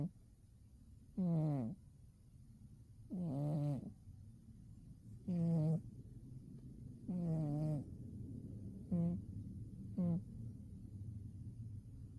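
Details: Cat fast asleep on a winter day, giving six low buzzing snores at uneven intervals of one to two seconds; the last two are shorter and clipped, with soft hiss in the background.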